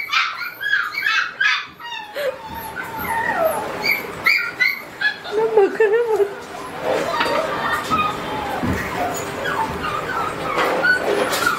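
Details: Red-brown Border Collie giving high yips and a wavering whine, with a person talking over and between the sounds.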